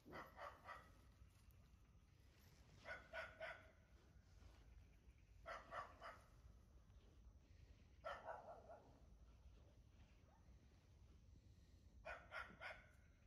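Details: One-month-old puppy on its first outing, giving short high yapping barks in clusters of two or three about every two to three seconds, over a steady low background rumble.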